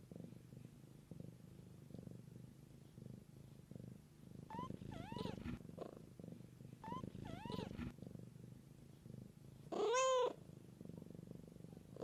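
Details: Domestic cat mother caring for her young kittens, a continuous low throbbing purr underlying everything, broken by pairs of thin kitten mews midway and one louder, sharper kitten cry near the end.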